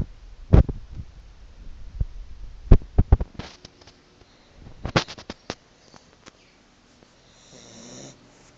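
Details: Staffordshire Bull Terrier puppy fast asleep after lots of play, snoring in low, rumbling breaths at an uneven pace, broken by several sharp clicks and knocks nearby.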